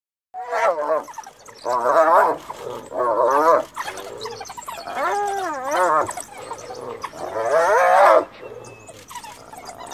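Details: Hyena mother, whose cub had recently died, cornered by wild dogs near Jock Safari Lodge in Kruger, calling for help from her clan; loud wavering, quivering squeals in harmonic bursts, five surges each lasting about a second.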